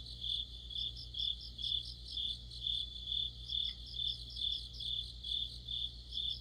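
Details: Crickets and other insects chorusing in deep autumn: shrill, high pulsed chirps in bursts about twice a second, each burst a rapid trill, over a steady low electrical hum. A faint brief click is heard midway.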